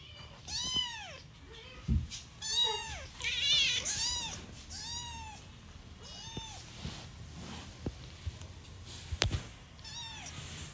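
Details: Newborn domestic kitten meowing: about six high, arched mews with rich overtones, each rising then falling, coming in quick bursts then pausing, with a few sharp clicks and taps between calls.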